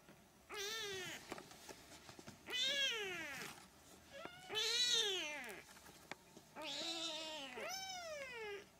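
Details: Siamese kittens at three weeks old give loud, drawn-out mews, each arching up and sliding down in pitch, about five calls spaced one to two seconds apart, with faint clicks between them.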